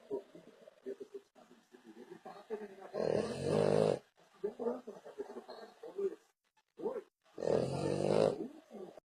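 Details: French Bulldog snoring heavily: low snuffly breaths lead into a loud rasping snore, more soft gurgling breaths follow, then a second loud buzzing snore roughly four seconds later.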